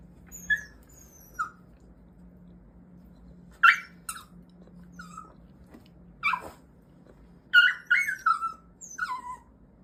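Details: One-year-old Mini Goldendoodle, excited by a toy it clearly likes, giving short, strange, high whining yelps in scattered bursts, single at first, then a quick cluster of several near the end, in a quiet indoor room.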